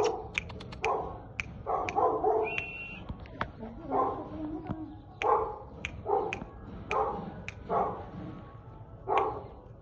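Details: Male Golden Retriever puppy at a pet shop in Burhar, giving short, high yipping barks in repeated bursts about every half second to a second, with sharp clicks and faint background sounds between them.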